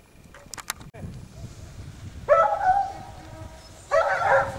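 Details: Basset Hounds of the French kennel Rallye de l'Allagnon trailing scent; after quiet rustling, two loud bursts of harmonic baying barks break in, the second longer and overlapping.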